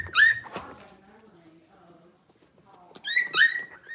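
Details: Blenheim Cavalier King Charles Spaniel puppies, six weeks old, a litter of five in a home puppy pen: two bursts of high, sharply rising yelping whines with bright overtones, at the start and near the end, with soft murmuring between.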